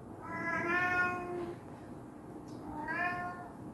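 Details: Indoor cat scared by his brother, giving two long, tonal meows about two seconds apart, the second starting lower and sweeping upward, over a faint constant background hum.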